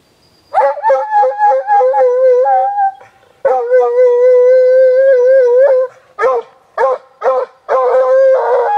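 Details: Rescued Walker Hound on a leash baying on sighting a deer in a city park in Guelph, Ontario, Canada, on a hot summer day in 2012; long sustained wavering howls broken by short bursts.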